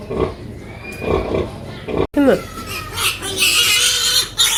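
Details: A sow with her piglets: soft low grunts in the first two seconds, then after a cut sharp bending squeals and a sustained high, shrill squealing chorus from the young.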